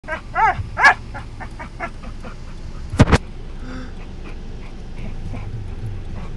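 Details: Puppy making weird noises while riding in a car during a drive: a few high, arched whining yelps in the first second, then a sharp double knock near three seconds, over a low steady engine rumble.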